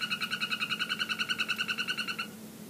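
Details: Golden poison frogs (Phyllobates terribilis, yellow morph) calling in a terrarium: a rapid, evenly pulsed trill that runs steadily for about two seconds.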